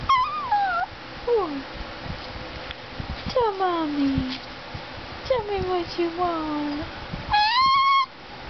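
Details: Indoors, Gizmo the talking greyhuahua, a Greyhound–Chihuahua cross, strings together varied whines, many sliding downward, some wavering, ending on a loud level whine that rises at its close.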